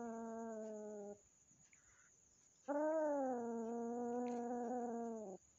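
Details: A drawn-out, low, wailing yowl holds steady for nearly three seconds after a shorter one. It comes as a newly adopted kitten, still fearful, is introduced indoors to the resident house cat. The room is otherwise quiet.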